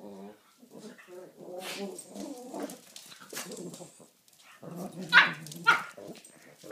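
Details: Two Pekingese dogs playing together trade grumbling, whiny play growls in quick, uneven bursts, with a couple of sharper yelps.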